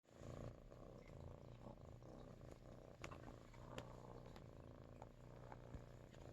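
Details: Neutered Russian Blue cat named Ruri purring, a low continuous rumbling throb held steadily through the whole stretch, with a few soft clicks and faint background talk from a news broadcast.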